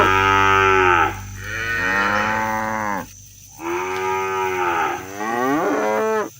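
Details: Herded cows heading home to the barn across the countryside, calling their companions: three long, full-throated moos that swell and fade, followed by a shorter one, with brief quiet gaps between.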